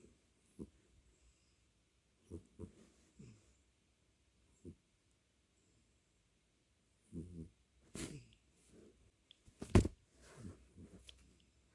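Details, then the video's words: Domestic cat snoring indoors, recorded with a close microphone: soft, low, rasping breaths come in irregular short bursts separated by quiet pauses, with a cluster of louder sharp rustles and clicks near the end. "고양이 코골이"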